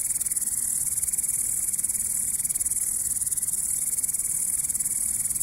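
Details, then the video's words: Chirping grasshopper giving a steady, piercing high-pitched pulsing buzz without pause, a soft low background rumble beneath. "The sounds of the grasshopper | How it chirps"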